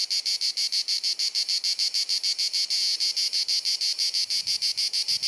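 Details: A cicada on a hot, sunny summer afternoon in Dalmatia, Croatia, sings a loud, harsh, incessant buzzing song pulsed in rapid regular beats, about three per second.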